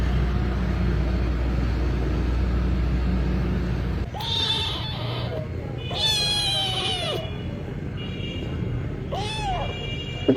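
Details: Kitten meowing three times, each call an arched, slightly nasal tone that rises then falls, the middle one longest at about a second, spaced two to three seconds apart over a constant low hum.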